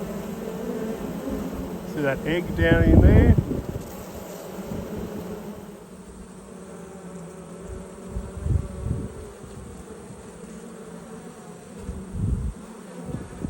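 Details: Honey bees buzzing during a hive inspection on 19 March 2022: a steady low droning hum runs throughout, briefly covered near the start by a short burst of human speech, with scattered soft knocks and handling noises.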